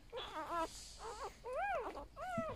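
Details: Whimpering newborn golden retriever puppy, one of a litter of eight being held and shown: four drawn-out, harmonic whines, the later ones arching up and then sliding down, with brief pauses between.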